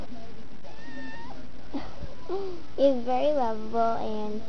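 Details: Pet domestic cat meowing loudly indoors: a rising, wavering meow followed by a longer, strong harmonic-rich meow, with a person's voice at the start.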